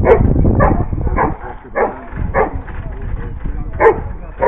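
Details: Giant Schnauzer giving deep, abrupt barks at uneven intervals, around eight in under five seconds, while a person talks over and between them.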